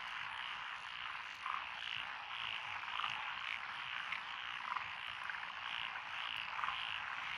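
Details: Frog chorus from lotus rice paddies along a country road in Echizen, Fukui, Japan, 12 June 2021, with Japanese tree frogs, pond, wrinkled, Schlegel's green and forest green tree frogs: dense steady croaking wall with brighter repeated notes standing out every second or so.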